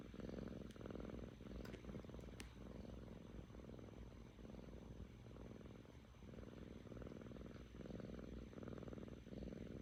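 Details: Happy seven-month-old female Korean shorthair cat Kkami purring steadily in a calm room; a continuous rumbling drone that swells and dips with roughly a dozen breaths, a few faint ticks near the start.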